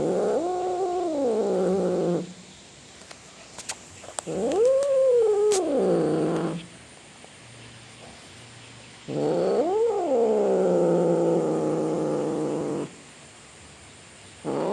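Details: Cat producing a series of long, arched yowls, each rising to a peak then falling into a sustained low moan, repeated roughly every four to five seconds with quiet pauses and faint clicks between; called a cat roaring.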